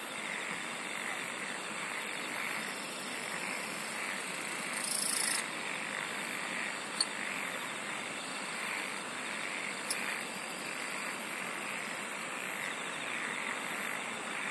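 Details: A chorus of singing insects: long stretches of high, rapidly pulsed trilling switch on and off over a constant shimmering background, with a lower pulsing chorus that may include croaking frogs and two brief clicks.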